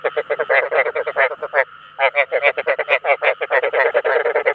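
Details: Rice field frogs calling to attract others of their kind: rapid trains of harsh, rattling croaks, each pulse buzzy and mid-pitched, coming in dense bursts with one short pause near the middle.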